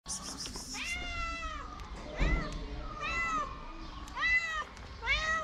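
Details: Hungry stray cats on a street in Morocco, wanting food, give a run of loud drawn-out meows. Each call is harmonic and arching, falling away at the end, with roughly one cry a second and short gaps between them.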